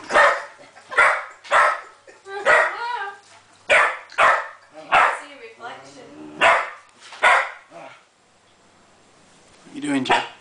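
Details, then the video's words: Jenny the Springer Spaniel barks at a copper pot for not returning her ball; a quick series of about ten barks, some doubled, with wavering whine-like tones between them, fading to quiet near the end before one last bark. "Jenny Springer Spaniel Bariking at copper pot"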